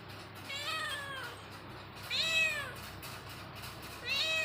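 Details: Domestic cat giving three drawn-out, clearly pitched meows about every two seconds. Each rises slightly, then slides down. The last is cut short at the end, over a faint steady background hum.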